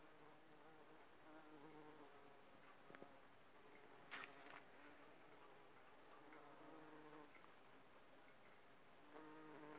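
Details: Bumblebees working aconite flowers, pollinating and gathering nectar: a low, droning buzz with a stack of harmonics rises and fades as the insects move between blooms, with a few soft clicks and rustles.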